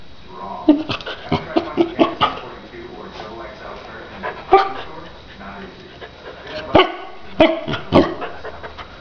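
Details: Young Akita puppy, three and a half months old, being vocal: quick runs of short yappy barks clustered early, then single louder barks spaced about a second apart, over low room noise.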